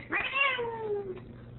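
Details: Indoor female Ragdoll guarding the door and arguing because her owner is leaving: a loud, drawn-out complaining meow that rises sharply, holds bright and full, then glides slowly down over about a second.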